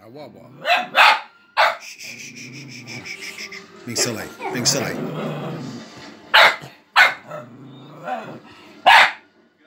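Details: Four-month-old male fox terrier puppy acting playfully silly, giving short sharp barks singly and in pairs, about six in all, with a person talking and background music.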